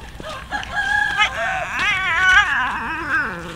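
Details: Hungry street cats being fed raw fish, with a kitten among them; loud, wavering, drawn-out cries with a warbling rise and fall repeat over three seconds.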